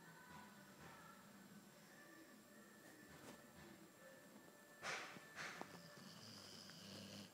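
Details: An albino Boxer named Theo snoring: faint, low rumbling breaths over steady broadband room noise, with a couple of sharp clicking sounds just after the five-second mark.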